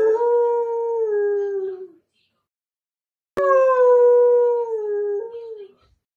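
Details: Weimaraner throwing a fit for attention gives two long, steady howls, each drawn out about two seconds and sagging slightly at the end.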